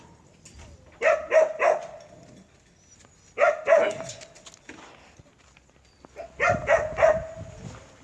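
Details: Purebred Jindo dog of the Chungjinhoe line barking in short bursts of two or three sharp barks, each burst separated by about two seconds of quiet, with faint background noise.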